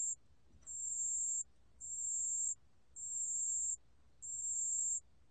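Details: Pale bell cricket song, National Institute of Biological Resources recording, 2020: high, pure, shrill trills in steady bursts of about a second, separated by short silences, with a quiet low background hum.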